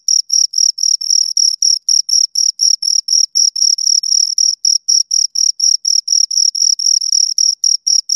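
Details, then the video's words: Rapid rhythmic chirps from two crickets, bright high notes pulsing about four times per second with brief gaps, recorded up close in quiet surroundings. "Two Crickets Chirp Sounds for Two Hours Right on Your Ears"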